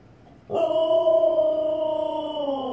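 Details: Indoors, a female Siberian Husky vocalizes at her reflection in the fireplace with a single sudden, loud, sustained howl-like tone. It holds steady, then sags slightly in pitch toward the end, with a constant high background tone.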